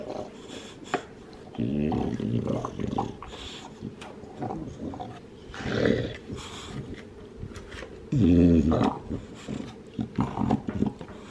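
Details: Two-year-old male Olde English Bulldog, lilac tri coat, in the USA, gnawing and enjoying his bone: irregular crunching, scraping and wet chomping bursts, with a short low rumbling growl-like sound near the end.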